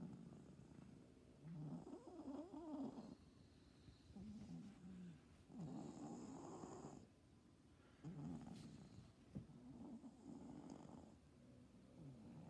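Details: Cat with stertor, a snoring-like upper airway throat noise rather than stridor: rough, low, rattling breath sounds in long bursts of one to two seconds, each breath followed by a quieter pause, repeating through the recording.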